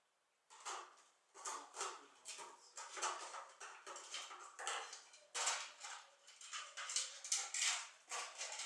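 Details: Keeshond puppies from a recent litter, seven weeks old, indoors: a run of short, harsh, noisy yelps and squeaks in quick bursts, some with a thin whining tone beneath, continuing almost without pause.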